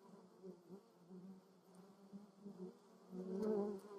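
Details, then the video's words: Honey bees and other insects visiting lavender in the Moseltal, Germany; a steady low droning buzz with a lower and a higher hum layered together, wavering in loudness and swelling strongly near the end as an insect passes close. "Honey bees and other insects visits lavender"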